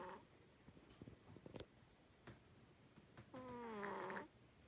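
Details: Cleo, a sleeping female pet cat, snores loudly: soft breathy puffs at first, then a long drawn-out tonal snore that wavers and slowly falls in pitch before stopping abruptly, in a quiet indoor room.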